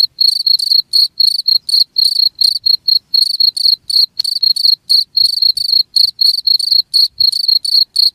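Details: Cricket calling in a full one-hour track meant to keep rats from a place: rapid, piercing chirp pulses about four each second, nearly continuous, with a faint click and very soft low rustles underneath.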